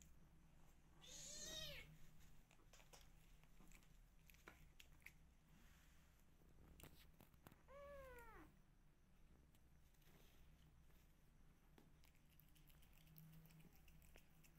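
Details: Two soft, well-spaced meows from rescue kittens, each rising then falling, about six seconds apart, over faint crackling and low room hum.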